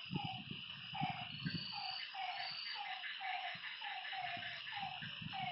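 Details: Frogs calling at night at a lakeside: short, slightly falling croaking notes repeated about twice a second from several callers, over a steady high insect drone, with low thumping rumbles in the background.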